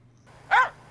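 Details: Finnish Spitz hunting dog, a breed used mainly for hunting forest grouse, giving one sharp, ringing bark as it follows a bird that has flown up into a tree; a faint low hum runs underneath.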